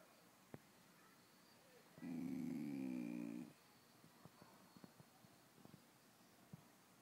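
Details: A mini American Eskimo Dog gives a single drawn-out, wavering groan lasting about a second and a half.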